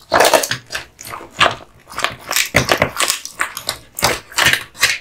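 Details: American Bully named Kotetsu, a male dog, crunching on a duck spine jerky treat; loud, sharp crackling bites arrive in clusters about every half second, separated by brief quiet gaps.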